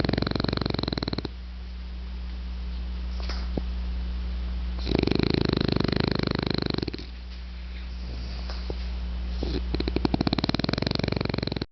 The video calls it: French Bulldog Snoring